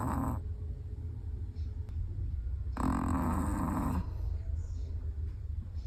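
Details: Dozing Chihuahua giving one long, raspy snore of just over a second after a brief earlier breath, against a quiet, steady low-frequency room hum.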